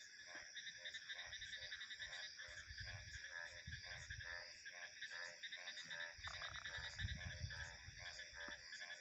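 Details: Rhythmic, rasping frog croaks repeat about twice a second over a dense high insect chorus, with low wind rumble rising and falling underneath.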